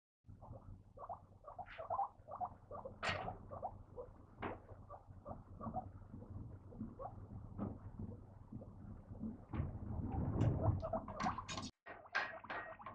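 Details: Female Abyssinian guinea pig kept as a pet in an apartment, giving a rapid, uneven run of short low chattering pulses, with a few sharper louder bursts and a busier stretch near the end.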